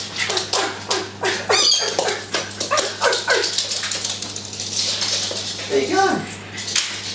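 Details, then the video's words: Japanese Spitz, a pet dog, greeting its owner on arrival home: a rapid run of high whines, yips and short barks in quick bursts, mixed with a person's excited greetings. "Japanese Spitz Excited"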